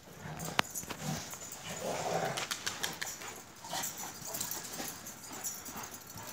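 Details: Akbash shepherd dogs Zeyna and Güdük Reis playing together in Turkey; rough, breathy grunting and growling bursts, loudest near two seconds, with scuffling and clattering noises between them.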